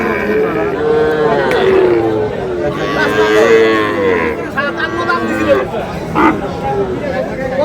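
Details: Sahiwal bull calves at a cattle market on 27 March, where a farmer from Cumilla is buying; drawn-out, tonal moos rising and falling, overlapping with steady chatter and men talking nearby.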